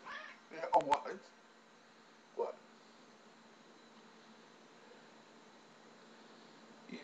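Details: Missy, a loud, persistent talking pet cat, meowing because she wants something: a short harmonic meow burst early on, a second brief meow about a second and a half later, then quiet room tone with a person talking to her nearby.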